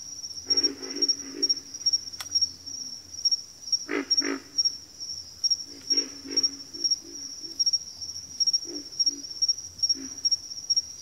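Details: Scattered low frog grunts from a backwater chorus, in short paired or tripled pulses with gaps, one sharp louder burst near the middle, over a steady high insect whine and faint low hum.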